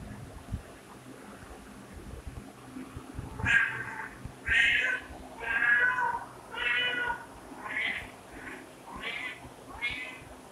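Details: A domestic cat gives a run of about seven short meows, roughly one per second, each harmonic-rich and fairly even in strength, after a quiet opening with light background noise.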